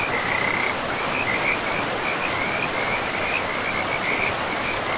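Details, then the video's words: In a pristine, moss-covered forest beside a river, frogs keep up a sustained shrill trill, broken into short pulsed phrases a fraction of a second long, layered over the steady hiss of the flowing river. "River and Frogs sleep sounds"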